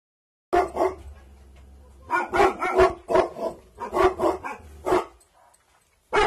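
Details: Bhotia dog named Dabu Goli, of an aggressive bloodline, guarding at night: bursts of deep, loud barks in quick runs of two to four, with a steady low hum beneath.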